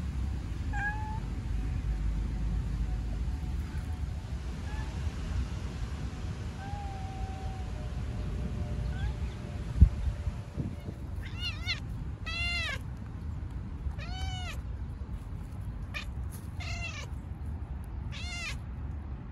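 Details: Stray cat in Istanbul, Turkey, out on the city streets: after a quiet stretch with a faint thin whine, a run of about six short, high, arched meows comes in quick succession, over a low steady urban hum.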